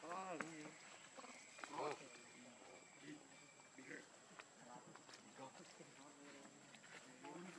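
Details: Hungry infant macaque named Leo crying as it begs its mother for milk: two arched, tonal wails early on, followed by softer scattered whimpers over a constant high hum and rustling.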